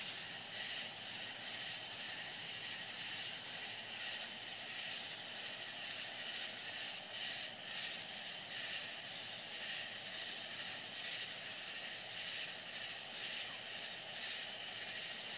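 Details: Night chorus of crickets in rural Florida, a constant thin high-pitched ring overlaid by rhythmic pulses of hissing, buzzy sound that rise and fall roughly once a second across the whole stretch.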